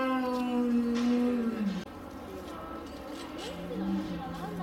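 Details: A spectacled bear at Tennoji Zoo, Osaka, in late December 2022, one of an elderly pair (male born 1990, female born 1993), gives a long, steady moan dropping in pitch, then a lower drawn-out moan, described as a bear voice first heard.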